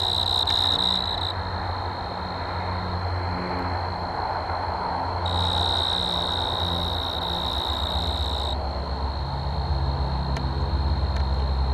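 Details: Male tree crickets in Caledon, Ontario, sing to attract mates: a steady, high, pure-toned trill that carries on without a break.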